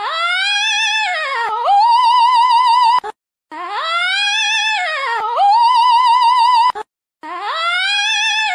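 An alpaca gives a long, tonal, wavering cry that dips, rises, then holds a high quavering note.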